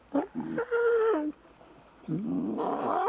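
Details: Young lion cubs at play in the wild give a drawn-out, tonal mewing growl that holds steady and then drops. A rougher, rising growling call follows after a short pause.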